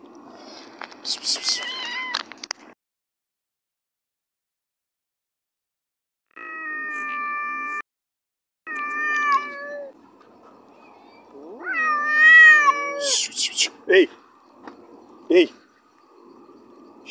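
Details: A shunned cat meows repeatedly: a steady tonal call, then two louder rising-and-falling meows with rich overtones, separated by brief silences, while a person speaks softly nearby.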